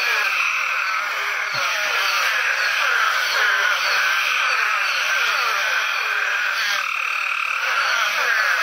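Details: Several Eastern spadefoot toads, breeding at night after extreme downpours in Apalachicola National Forest, north Florida, call in a dense chorus of short, groaning, downward-sliding "bow, bow" croaks.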